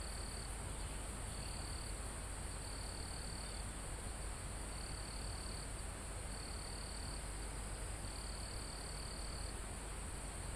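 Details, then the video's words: Forest crickets recorded live almost at the top of a mountain, with other insects and wind in the trees: repeated bright trills in short bursts roughly every second or two above a dense, continuous insect hiss and low wind rumble. "Calm Forest in Mountain With Crickets, Insects Sound"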